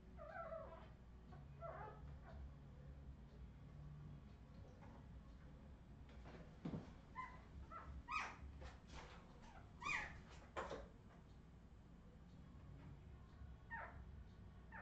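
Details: Australian Terrier puppies of the Redwing line, 2018, giving scattered high squeaky whines and yelps, clustered in a burst of rapid cries midway, then a lone rising squeal near the end over low room hum.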